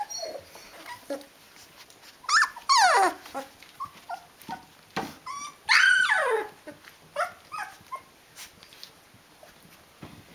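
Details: Rhodesian Ridgeback puppies of the D-litter, 19 days old, giving high whining squeals and short whimpers, two loud rising-falling cries standing out among softer scattered yelps.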